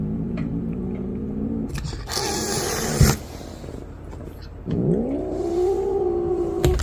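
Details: Cat named Bunny growling low, then after some scraping and rustling noise letting out a drawn-out yowl that rises and then holds steady at a moaning pitch.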